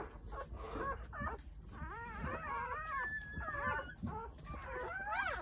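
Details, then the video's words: Newborn Jindo dog puppies, part of a litter of nine born on New Year's Day at a countryside house, squeal in overlapping, wavering high whimpers that rise and fall, several voices at once over a low background rumble. "시골집 진돗개 9마리 출산했어요 새해 첫 우렁찬 울음소리와 함께 새생명이 탄생"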